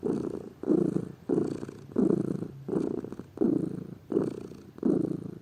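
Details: Lazy pet domestic cat purring: a low, rumbling throb rising and falling with each breath, about eight swelling bursts in five seconds with soft quieter gaps between.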